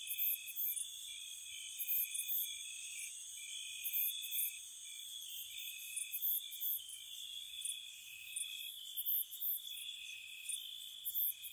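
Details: Crickets at night in spring around a cottage: a steady high shrill trill runs throughout, overlaid by brighter, very high chirps in quick clusters of two or three, recurring every second or so.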